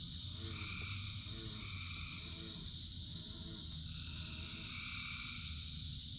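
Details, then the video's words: Frogs calling in rain: a high trilling chorus continues while deeper, throaty croaks repeat in short bursts about every half second in the first half, all over the steady low rush of rainfall. "Frogs in Rain 2 Hours of Frogs, Thousands of Frogs Singing"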